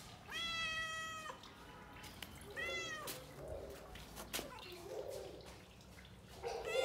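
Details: A brown cat meowing: one long, steady meow followed by shorter, rising and falling meows and soft chirps, with clicks and a constant background hiss.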